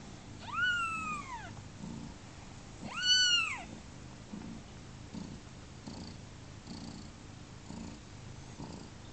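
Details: Newborn kittens on their second day of life, about thirty hours old, give two loud, arching, high-pitched mews in quick succession, then fall quiet with only faint soft sounds in a quiet indoor setting.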